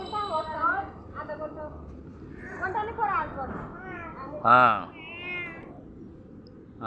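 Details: Pet cat that is unwell gives several whiny, wavering meows, one loud strained cry midway, over people talking in Bengali.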